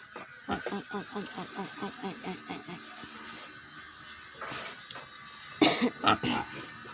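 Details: Hungry wild boar hybrid pig on a Vietnamese farm: a quick run of rhythmic grunts, about two per second, fading after three seconds, then a burst of louder squeals and hiss near the end.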